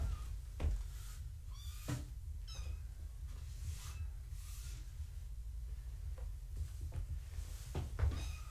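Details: Kittens of Gaia, a foster mother cat, during a weigh-in on a live foster cam indoors: several faint, high, downward-sliding kitten mews scattered through the clip over a steady low hum, with a few knocks and thumps.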